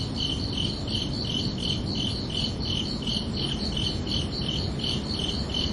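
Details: Crickets chirping under a night sky on a summer evening: steady pulsed chirps, roughly three per second, in two tight high-pitched bands, repeating evenly over a constant low background rumble.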